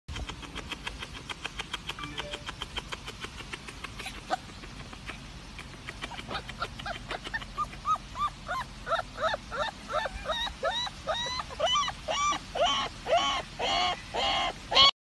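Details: A small, fluffy Siberian Husky puppy yelps in short, high, rising-then-falling yips. They start sparse around six seconds, then come faster and louder until the end, about one per second. Faint rapid ticking is heard early on.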